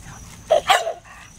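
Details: Alaskan Malamute puppies playing with children, including a baby boy: two quick, sharp yipping barks in close succession, the second louder and slightly longer, over a low outdoor rumble.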